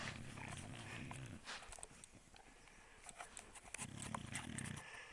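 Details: Sleeping beagle snoring indoors: two low, rasping, rumbling breaths about three seconds apart, with faint rustling and a soft hiss between them.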